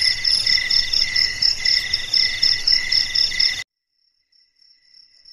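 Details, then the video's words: Crickets chirping at night in a silent darkness: bright, high, pulsing trills repeating about twice a second, then cutting off abruptly to near silence with only a faint distant chirp remaining. "SUARA JANGKRIK MERDU DI MALAM HARI"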